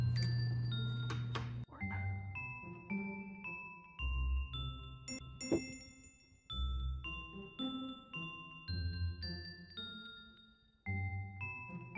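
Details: Gentle glockenspiel and chime melody plays over soft low accompaniment, with short bursts separated by brief pauses.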